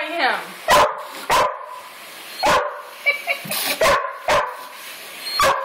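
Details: Border Collies, a group of three pet dogs: a run of short, sharp barks spaced roughly a second apart, with a person talking and calling to the dogs between them.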